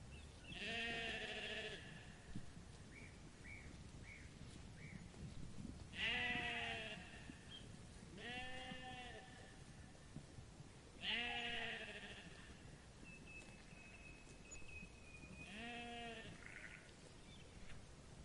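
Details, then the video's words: Sheep bleating repeatedly: five loud, wavering, harmonic-rich bleats about every four to five seconds, each lasting roughly a second, with faint chirps between calls over a steady low background hum. "Sheep Sound Effect"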